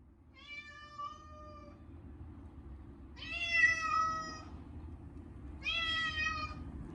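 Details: Short-legged Munchkin cat screaming during its yearly bath, washed with a catnip-scented shampoo; three drawn-out, strongly harmonic meows, the first steady, the later two rising then falling, each over a second long, with a low running hum beneath.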